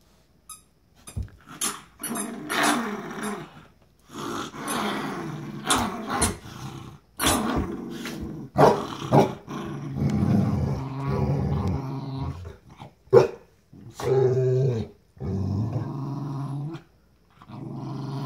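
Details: Pitbull and Jack Russell terrier fighting over a new toy, trading growls: rough, rumbling growls in bursts of one to two seconds with short sharp barks and clicks between, continuing throughout.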